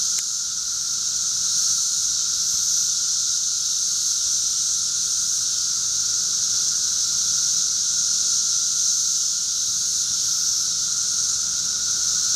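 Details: Thirteen-year cicadas fill a backyard in Charleston, Illinois, on June 1, 2011, with an unbroken, high, hissing drone and a fainter steady lower whine, constant throughout with no pauses.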